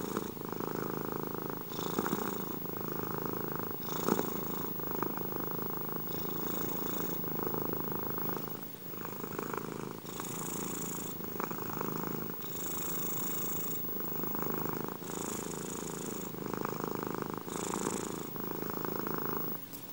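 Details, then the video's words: Indoor ASMR recording of domestic cats purring: a sustained vibrating rumble, rising and falling with each breath about every two seconds, with airy hissing on alternate breaths. "asmr gato ronroneo. ASMR cats purring."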